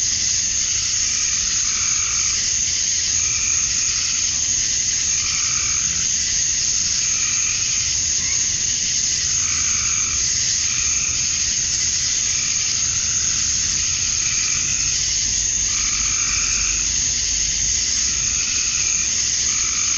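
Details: Cicadas of a summer dusk in Georgia, USA, males calling to draw females: a steady, shrill wall of buzzing throughout, with lower throbbing calls repeating roughly every second or two beneath it.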